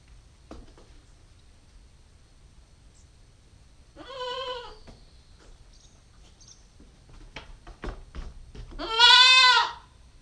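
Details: Two bleats four to five seconds apart from a 9-week-old female Nubian goat kid, recorded by GoPro stakeout; the first softer and shorter, the second loud and quavering, with scattered clicks and taps between them.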